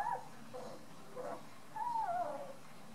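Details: Nine-day-old Beauceron puppies, a litter of eight from Quanaï du Fond des Camps and Jaeger du Murier de Sordeille, giving thin whimpering squeals that slide downward, several in quick succession, over a quiet indoor background.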